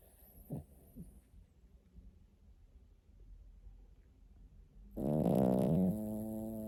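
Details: Pet dog snoring in its sleep: faint breathing and soft noises at first, then one loud, buzzy, wavering snore about a second long with a trailing hum.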